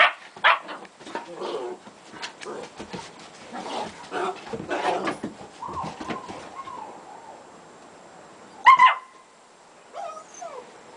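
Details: German Shepherd puppies playing with their mother Gretta make a run of soft yips and scuffles, then drawn-out whining whimpers and one loud sharp yelp near the end.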